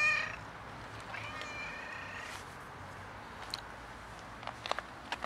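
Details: Huge tiger cat seeking attention more than food: a short harmonic meow cut off at the start, then a fainter, drawn-out mewing tone, followed by quiet background with scattered clicks and taps.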